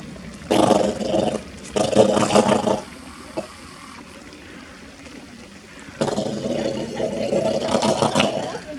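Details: A harbor seal at Zoo Zürich, Switzerland, on 5 February 2020, makes rough, throaty growling bursts, a strange noise it often makes, perhaps while playing, with people talking nearby.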